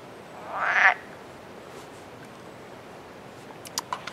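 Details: A single brief, rasping croak from an edible frog (Rana klepton esculenta), a fertile hybrid common in the Netherlands, followed by a few faint clicks.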